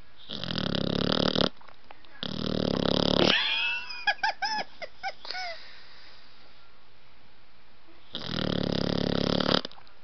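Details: Blue nose American Pit Bull Terrier puppy asleep, snoring in three long rasping breaths, each lasting over a second, with brief squeaky whistling and snuffling noises between them.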